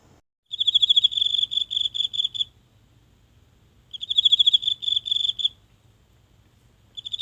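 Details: A single insect in the grass of a small home garden at night, phone held close to it: high, shrill bursts of rapid pulses, each about two seconds long, split by pauses of roughly a second and a half, in otherwise quiet surroundings.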